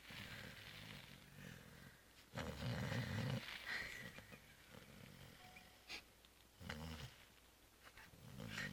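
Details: A domestic cat sound asleep after a Christmas Eve dinner and Christmas brunch, giving soft, low, rumbling snores in separate breaths a few seconds apart, with quiet room hiss between them.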